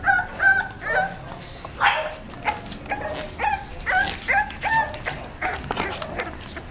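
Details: Female English Bulldog puppy at 35 days old, bred in a kennel; short high yips with tonal whine come in quick bursts about every half second, some sliding downward, over light background rustle.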